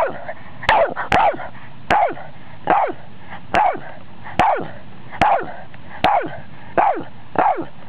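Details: Boston Terrier indoors barking at electronics; sharp, evenly spaced barks, about ten in eight seconds, each a short falling bark, sometimes doubled, with little else heard.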